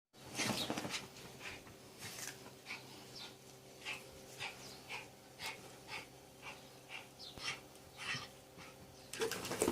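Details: Dog confronting a snake, breathing in rapid rhythmic huffs and pants roughly every half second, with soft whimpering and rustling around the bursts.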